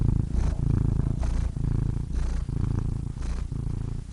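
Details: Low, throbbing purr from a domestic cat, continuous rumbling broken into breath cycles about every half second to second, with faint soft clicks.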